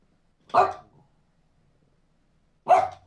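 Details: French Bulldog, a young female eager to go for a walk, giving two short, sharp single barks about two seconds apart, otherwise quiet.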